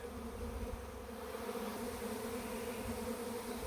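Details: A Western honey bee swarm in Langford, BC, June 2020, leaving a tree after two and a half days and flying en masse into a bait hive, makes a dense, continuous, low, slightly rough drone that holds steady with gentle loudness changes.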